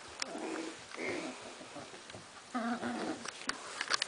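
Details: Cardigan Welsh Corgi puppies from a litter in Sweden on 22 March 2015, squabbling indoors after visitors left: short, tonal grumbling bursts and squeaky vocal spurts come in uneven clusters over a few seconds, against quiet room background.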